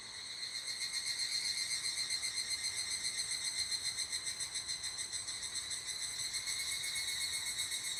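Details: At an abandoned toilet, an evening cicada gives a continuous shrill, ringing call made of quick, even pulses, roughly four a second, holding a steady level throughout against a quiet background.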